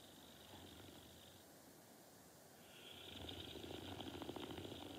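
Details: Norton the dog asleep, breathing softly at first, then a rhythmic, rattling snore builds over the last two seconds, pulsing several times per second.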